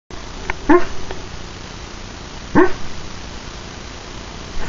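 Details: Pet dog dreaming in its sleep, giving two short muffled woofs or whimpers about two seconds apart, each a brief harmonic burst over a quiet, steady room background.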